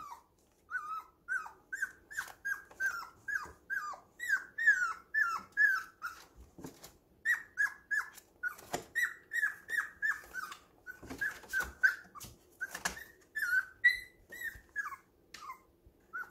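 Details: Puppies at home, depending on each other while roughhousing, keep up a long run of piping yelps, each dropping in pitch, about two to three per second, mixed with scratching and bumping sounds.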